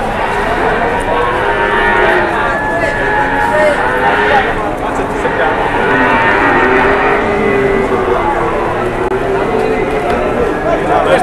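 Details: Jumbo-sized cattle arriving for sale in Indonesia; overlapping low moos from many animals run continuously beneath a dense layer of crowd noise and talk.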